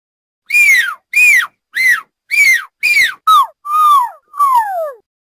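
A fox cries in eight quick, tonal yelps, each bending up and then falling in pitch. The later calls sound lower and more drawn out, with short gaps between them.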